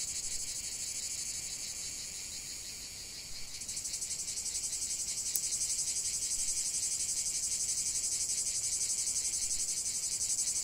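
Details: Cicada chorus in nature, a dense high buzzing drone that pulses rapidly and steadily, swelling louder after a few seconds as more insects join, with no other clear sounds.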